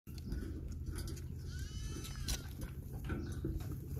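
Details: Baby goats at play give a single wavering, harmonic bleat in the middle, set over a steady low hum and rumbling handling noise.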